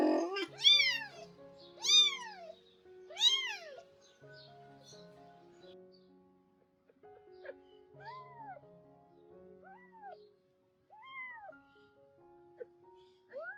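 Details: Domestic cat, a rescued skinny mother living with her kittens around the time of her spay surgery: three loud, high, arching meows in the first four seconds, then softer, lower meows spaced a few seconds apart, over gentle background music.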